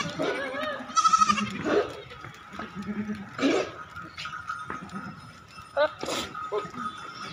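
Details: On a goat farm in Narayanpur, Assam, a goat gives a short, trembling bleat near the start, then fainter bleats follow beneath people chatting nearby.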